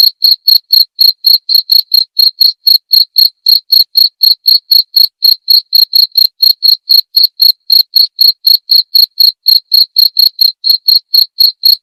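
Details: Cricket chirping, recorded as training audio for songbirds and as therapy sound. High, clean chirps repeat steadily about four times a second, each a short pulse, with silence between and no other sounds.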